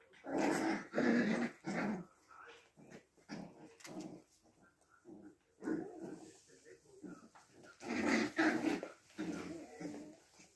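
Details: Six-week-old puppies indoors in a small room, making bursts of rough, noisy growls and yaps in clusters, with loud spells near the start and around eight seconds and quieter sounds between; human voices can be heard faintly.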